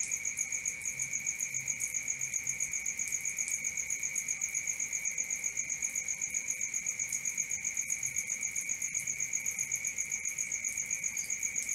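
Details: Crickets at night, recorded for sleep and relaxation: a steady high pulsed chirping, about four pulses per second without pause, over a lower continuous shrill trill.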